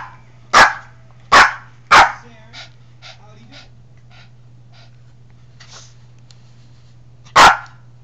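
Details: Pet dog Oscar, acting up with a wild hair and pestering fellow dog Abby, lets out three sharp barks in quick succession, a few faint softer sounds, then one more loud bark after a pause; steady low hum underneath.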